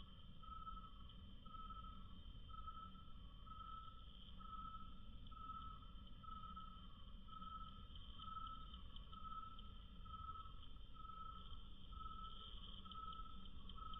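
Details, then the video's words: Cricket chirps played at one-quarter speed become long, deepened whistle-like pulses, about fourteen evenly spaced beats near once per second, each with a faint upper overtone, above constant low-pitched background hum. "Cricket Chirping 1/4 speed"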